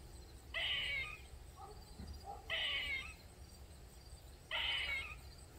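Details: Loud, repeated cries of a squirrel calling nonstop in a backyard in Maryland for more than 45 minutes: three strained, raspy wails spaced about two seconds apart, with softer short squeaks between them and a low hum beneath.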